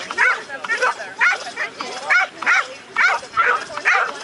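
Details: American Staffordshire Terrier Shade, a female, chasing the lure at an AKC Coursing Ability Test in Ocala, Florida, on April 28, 2012; sharp excited barks repeat about twice a second, with voices mixed in.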